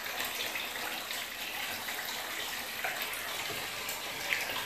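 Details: Running and splashing bath water fills a small indoor room, with no animal voice heard.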